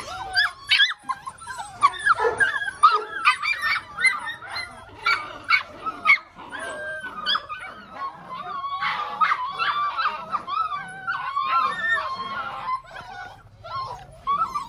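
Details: Belgian Malinois pups, six weeks old, yelping and whining as a group: dense, jumbled high-pitched yaps and squeaky cries that continue almost without pause for the whole stretch, growing more blended and continuous in the second half.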